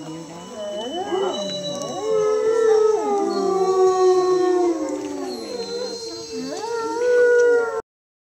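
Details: Wolves at the Lakota Wolf Preserve howling in chorus: several long, overlapping voices rise and fall, their sliding tones weaving together before cutting off abruptly.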